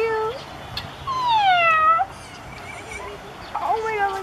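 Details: Several ring-tailed lemurs give a possibly territorial call: loud, harmonic, cat-like wails, one long cry sweeping downward and then flattening, followed by shorter nasal calls and a final wavering wail, with faint noise behind.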